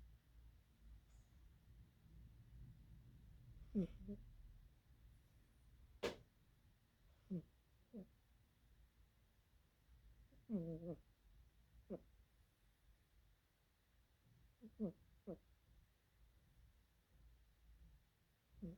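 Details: Cat snoring indoors in a quiet room: short, throaty, low snorts arriving singly or in close pairs at irregular gaps of two to four seconds, with one sharp click partway through.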